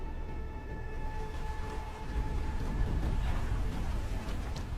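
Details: Dramatic documentary music with sustained tones over a deep, rumbling low drone.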